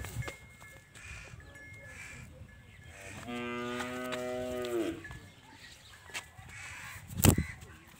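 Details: Nili-Ravi buffalo for sale in Punjab, Pakistan, lowing once with a steady, nasal, harmonic-rich moo lasting nearly two seconds before breaking off. A sharp knock follows near the end, over faint background noise.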